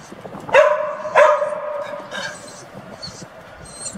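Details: Dog barks twice in quick succession, sharp harmonic barks about half a second apart, then quieter background, during a training session in Genoa with a female AmStaff named Venus and a male Staffordshire Bull Terrier named Zeus.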